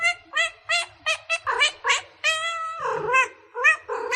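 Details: Kittens meowing in a rapid run of short, high, clear mews, about a dozen in four seconds, some rising then falling, with one longer drawn-out cry in the middle.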